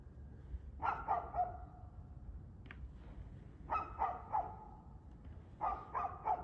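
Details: Barking dog recorded 2 February 2024 at 6:02 pm, three volleys of three or four rapid, sharp barks roughly two seconds apart, a brief click between them, over low rumbling noise.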